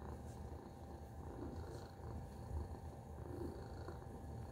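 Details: Tacy, a domestic cat, purrs in a steady low rumble, the pulsing drone continuous through the clip with faint soft clicks above it.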